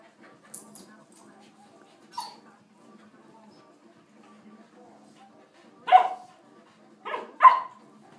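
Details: Two pet dogs, Baby Bear and Winston, playing together in a basement on a LoveSac: after soft rustling and a faint yip, three short sharp barks come near the end, the last two close together, with a person speaking quietly.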